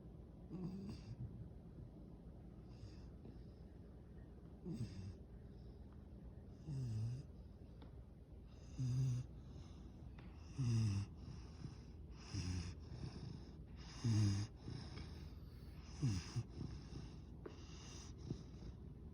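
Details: Sleeping yellow Labrador Retriever puppy snoring softly and irregularly, low rasping breaths roughly every two seconds, some louder than others, over a steady background hiss.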